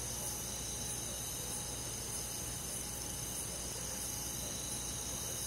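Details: On a summer night in a rural forest, crickets and other insects fill the air with a thick, high, buzzing trill that pulses lightly and never pauses, layered over a low continuous hum.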